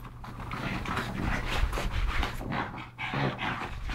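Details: Pugs Yogi and Mister, brothers rescued from the SPCA in Malta, play-wrestling together; quick breathy panting and snuffling pulses run throughout, with a brief low grumble near the end.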